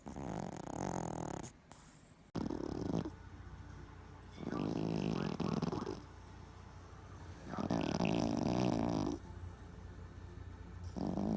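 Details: Boston Terrier asleep and twitching, snoring in long rasping breaths, each roughly one to one and a half seconds, separated by quieter pauses, with a few sharp clicks between snores.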